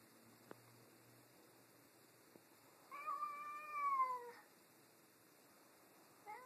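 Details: Domestic cats Tammie and Cheddar arguing over a new toy indoors; one long drawn-out meow of about a second and a half, harmonic and slowly falling at the end, with quiet room background and a faint second call starting at the close.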